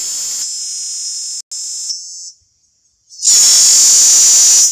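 A cicada gives a loud, steady, high-pitched hissing buzz, broken by brief pauses.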